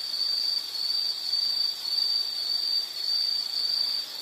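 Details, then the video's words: Insect call from a calming nature-sound recording: a shrill high trill broken into pulses roughly every half second, each burst steady in pitch, over a soft hiss of background noise. "Nature Sound of nature sounds scenery L · insect"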